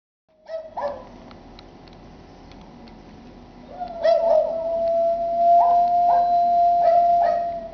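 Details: English Shepherd named Shep howling at night, a long steady tone rising in strength after four seconds and held to the end, with short barks from Jack Russell Terriers in the background.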